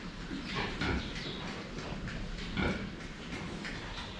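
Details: Pigs drinking water, seen face-on; two deep, rough grunts stand out, one near the start and one past the halfway point, with wet slurping noise in between.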